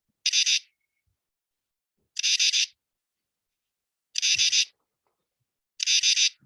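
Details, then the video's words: Katydid in an oak forest sings harsh, raspy bursts of a few pulses each, repeated about every two seconds, the song said to sound like "katydid"; four katydid species frequent oak forests. "trust you could hear that. That's what a katydid sounds like."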